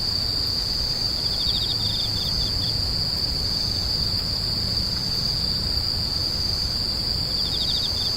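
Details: Insects screeching in a dense chorus: an unbroken high, shrill whine holds steady throughout, while short rapid trills of pulsed chirps rise briefly below it near the start and end, over a soft low rumble.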